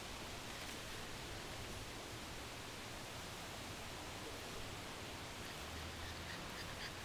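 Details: Steady broadband hiss like wind or rushing water fills the yard recording throughout, with no animal voice heard.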